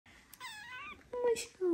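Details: Golden baby kitten named Larry, a gentle kitten held in the hands while his warm fur is stroked, gives a thin, high, wavering mew that rises slightly and then falls, followed by short, lower voiced sounds close to a human voice indoors.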